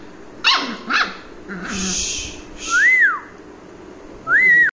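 A young English Cocker Spaniel gives two quick, high yapping barks, followed by clear rising-and-falling whistles.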